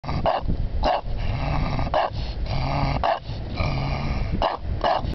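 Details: Bulldog reacting as if it sees a ghost; deep, harsh rumbling growl-barks in long bursts of about a second, repeated roughly five times, with short sharp accents between them.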